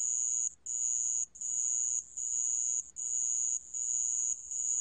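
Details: Insistent high trilling of a sand cricket, long ringing phrases interrupted by short dips in loudness about every second, accompanied by a faint lower buzz and low hum.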